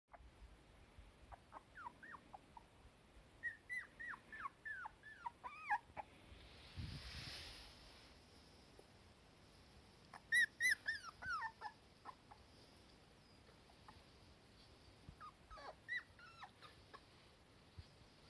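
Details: Cardigan Welsh Corgi pup, a daughter beside her mother in warm sunshine, anxious when the mother is not close by; thin high whimpers in short falling runs, grouped in bursts with quiet gaps between.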